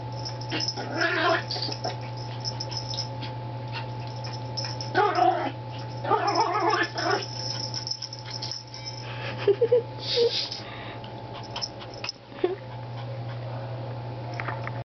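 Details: A Yorkshire Terrier that never barks plays with a treat, giving scattered short whiny, nasal grunts in separate bursts with brief tonal squeaks near the end, over a constant low hum and faint rustling.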